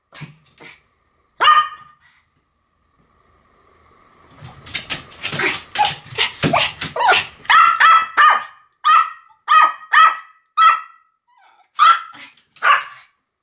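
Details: Pomeranians Sam and Marin barking in a duet, an isolated bark, then a rapid scrabbling run of yaps settling into an even series of high, sharp barks about twice a second.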